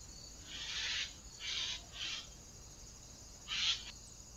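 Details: Fox recorded by a camera trap on 14 August 2024 gives four rough, screechy calls, three in quick succession and a last one after a short pause, with constant insect hiss behind.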